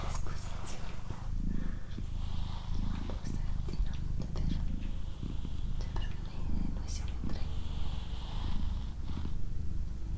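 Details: Continuous deep purring from Doroti, a female house cat, rising and falling with each breath roughly every second, with quiet whispered words and light tapping noises above.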